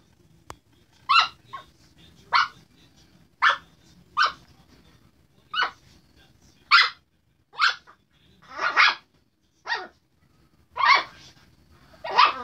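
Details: Sasha, a sassy Chihuahua harassing a Redbone Coonhound, gives sharp, high-pitched yaps in an uneven run, roughly one every second or two.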